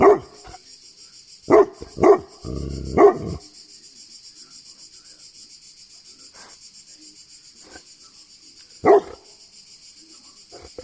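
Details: Greek Tibetan Mastiff letting out a burst of four deep barks in quick succession, then a long pause before one more bark, against a continuous thin high-pitched background hum.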